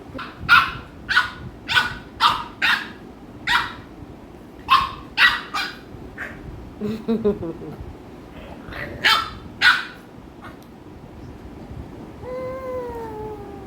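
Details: American Bully pet dogs Ami and Mikku, Ami pestering Mikku indoors; a run of about fifteen loud, harsh barks spaced roughly half a second to a second apart, a brief pause, then a few more, with a person talking and a drawn-out voiced tone at the end.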